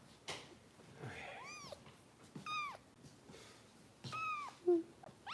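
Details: Bottle-fed rescue kittens in a Los Angeles foster home giving shrill, arched mews: one every second or so, rising sharply and falling away, some short and clipped, against a quiet room with faint background noise.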